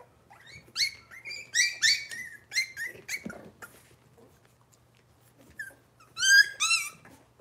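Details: Cavalier King Charles Spaniel puppies, Robin's litter, on an indoor kitchen livestream, let out a run of sharp, high, wavering squeals repeated about twice a second, then a quiet gap with a low thump and a final pair of loud shrill cries.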